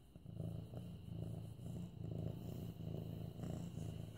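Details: Mufasa, a medium-hair orange tabby male cat almost 8 months old, purring while being petted on September 28, 2015; a low, steady rumbling purr pulses in even cycles with no other sounds.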